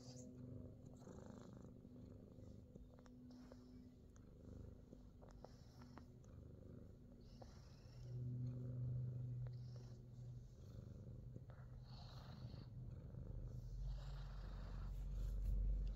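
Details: Fat Boy, a Himalayan Persian cat in New Zealand, purrs while getting a full body massage: a deep, continuous rumbling purr pulsing about two to three times a second, swelling louder midway and toward the end, with light rubbing sounds.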